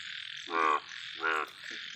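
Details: Two loud, rasping, buzzy croaks, each about a quarter second long and under a second apart, from a big yellow frog, with constant high insect hum behind.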